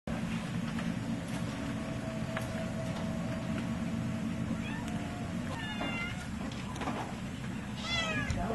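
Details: Live-trapped feral and stray cats on spay and neuter day at the Kalamazoo Humane Society in Michigan, with several short rising-falling meows late in the clip over a steady low mechanical hum.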